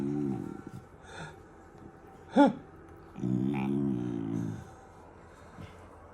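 A German Shepherd puppy makes odd grumbling, whining vocal noises, with one sharper yelp in the middle.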